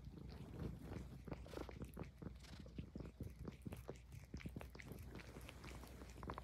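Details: Highland Lynx cat purring while grooming itself: a low, steady rumbling purr runs beneath a dense stream of quick, wet licking clicks that keep going throughout.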